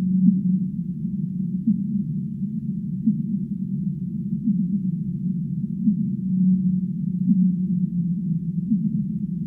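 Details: Humpback whale singing: low, muffled moans with short rising swoops every second or two, set within a steady deep rumble that fills the whole recording, with a brief sustained hum near the middle.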